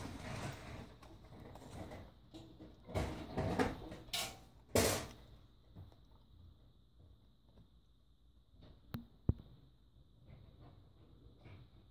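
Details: Indoor room noises: knocks, rustling and a couple of sharp clicks over a steady faint hum, with no animal calls.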